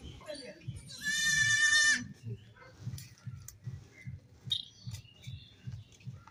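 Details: Baby goat, one of several kids playing and jumping, gives a single loud, harmonic, wavering bleat lasting about a second, followed by a steady series of soft low thumps and faint background noise.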